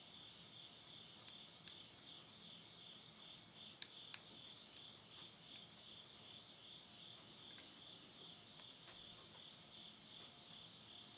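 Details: Countryside insects in Tottori, Japan, at midnight in September 2020: a constant high, ringing trill held throughout, broken by scattered crisp crackles and pops from wood burning in a stove.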